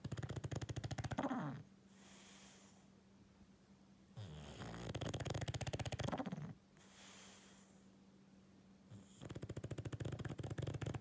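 An English Bulldog snores loudly, with rough, rattling breaths that rise and fall in long cycles.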